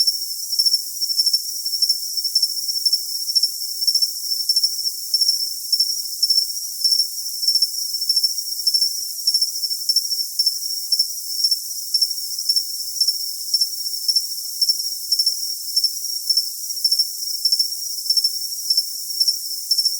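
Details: Continuous cricket chirping: rapid pulse clusters repeat steadily, about two per second, for the whole stretch over a constant high ringing tone; nothing low-pitched is heard.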